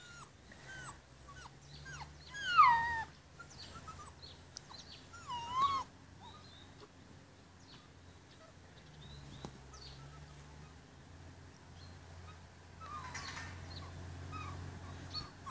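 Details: Rhodesian Ridgeback puppies at day 44, lounging after dinner before being taken inside for the night: several thin, high whiny squeaks and bending whimpers in the first six seconds, then quieter, with low steady background hum.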